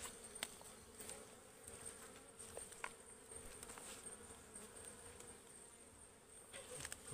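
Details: Aggressive wild ligwan bees swarm a forest hive as it is cut open for honey. The result is a quieter, even droning hum with occasional taps and rustles from the harvesters.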